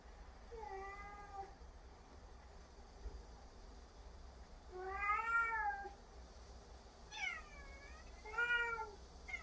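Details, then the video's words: Exchange between two cats, Huimang scolding and Jaetbit answering back. Four meows: a short drawn one, a loud arched meow, a higher sharply falling cry, then a quick arched reply, separated by quiet pauses. "잿빛이에게 폭풍 잔소리를 하고 있는 희망이😾 따박따박 말대꾸하는 잿빛이"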